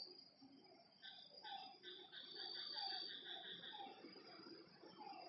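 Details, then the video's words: Frogs at a lakeside at night, giving short down-slurred calls repeated in a loose rhythm, layered over a steady high cricket-like insect trill and a faint low background hum. "Lakeside night creatures and frog sounds"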